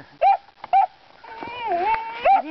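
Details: Young puppies baying at pigs: two sharp rising yelps, then a long wavering bay-howl dipping and rising, ending with another yelp.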